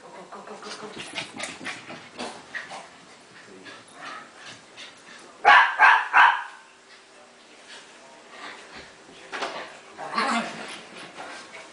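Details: During a tag game between Shiba Inu pup Tako and Bobby the Pekingese, busy scuffling and pattering build to a burst of three rapid loud barks midway, followed by more scrambling and a softer yelp.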